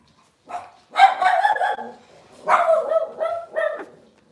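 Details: Cavalier King Charles Spaniel puppies from Robin's litter, indoors: high, harmonic yapping barks in two bursts, a short yip then a longer run of yelps, a pause, and another cluster of sharp yips trailing off. The room is otherwise quiet.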